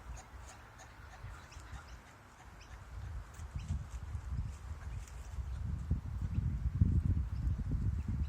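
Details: Probable courtship calls of a kangaroo seen on a kangaroo-watching outing: deep, rapid guttural clucks, quieter at first and then swelling into a louder run of pulses near the end, with soft distant birds in the background.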